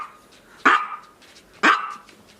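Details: Male Maltese dog diagnosed with heart disease, a disc problem and patellar dislocation. He gives two sharp, short barks about one second apart, each fading quickly, against a quiet indoor background.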